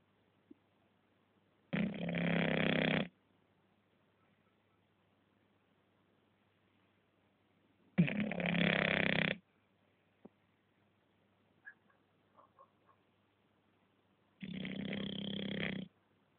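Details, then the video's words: English Bulldog asleep indoors, three long raspy snores spaced roughly six seconds apart, each lasting over a second, with faint small clicks and rustles between breaths. "Как храпит английский бульдог"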